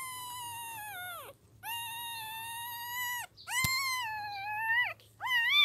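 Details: Puppies still blind, eyes not yet opened, crying in long drawn-out whines, each held a second or more and sagging downward at the close, with short silent gaps between and a soft background hum.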